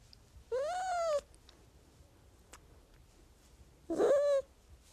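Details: Domestic cat giving two clear meows, the first a steady drawn-out cry of about half a second, the second shorter and rising then falling, with a faint click in the quiet gap between them.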